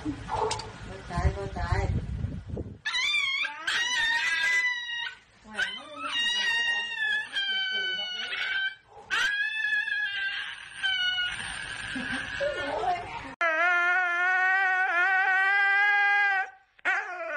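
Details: Siberian Husky showing dramatic behaviour while a person asks what is wrong; long wavering, yodelling howls and whines swoop up and down in pitch, ending in a steady, sustained howl, with some human speech near the start.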